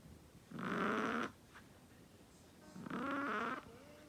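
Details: Chihuahua snoring, giving two rough, rattling snorts under a second long each, with a faint sniff between them.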